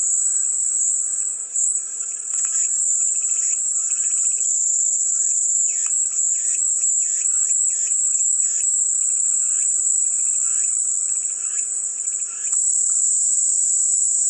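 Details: Cicada chorus as an even, high hissing buzz that never pauses; clusters of lower rapid ticking chirps come and go, strongest in the middle, with a quiet constant hum beneath.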